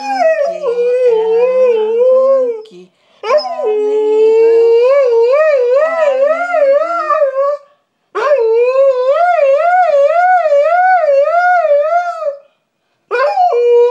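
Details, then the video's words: Female Siberian Husky howling along as her owner sings her name repeatedly. Three long howls, each wavering up and down in a fast, regular vibrato and separated by short breaks. "My Husky Singing with Me"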